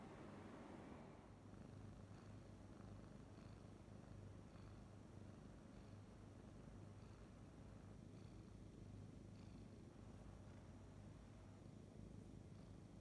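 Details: Somali kitten relaxing indoors while its large ears are playfully folded down, giving a soft, steady low rumbling purr that continues evenly throughout with no other clear sounds.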